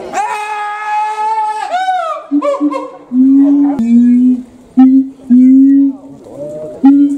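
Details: Siamang at Higashiyama Zoo, calling during a watermelon feeding, its throat swelling like a balloon. A long sustained harmonic wail slides down, then five or six loud, steady, low hoots follow with short gaps, with faint visitor voices behind.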